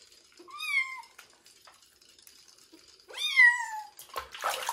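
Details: During a first-ever bath before his move to a new home, kitten Joe gives two long, clean meows that climb and then fall, separated by quiet water trickling, with a splash at the end.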